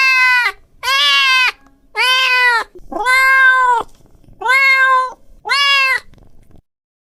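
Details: Domestic cat, angry, yowling in a series of six loud, sustained nasal meows, roughly one per second with brief pauses between, in a quiet indoor space.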